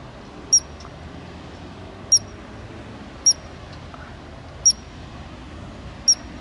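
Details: Chirping ground squirrel in Glacier National Park: five crisp, very high-pitched single chirps repeated roughly every one to one and a half seconds against steady low ambient noise.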